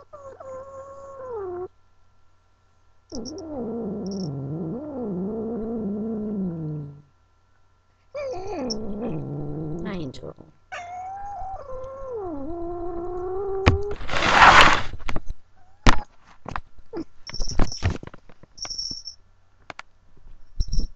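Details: Female domestic cat held by her owner and unhappy about it: long wavering growling yowls in several drawn-out bursts with short pauses, then a hiss-like burst and scattered rustling and handling noises.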